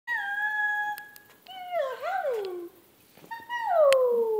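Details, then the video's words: Pet dog howling while singing along with its owner; three drawn-out tonal wails, the first level, the second wavering and sliding down, the last starting high and falling smoothly. "Daisy howling"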